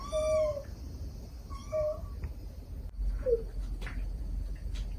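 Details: Gentle mother cat calling kittens, kittens crying back; a steady drawn-out meow, a shorter one, then a faint brief mew, over low-frequency background noise.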